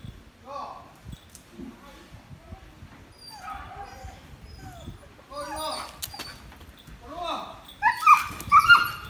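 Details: Haroo the Samoyed whines in short, falling, harmonic-rich bursts every second or two, building into louder, denser squealing yelps toward the end, with faint household noise between calls.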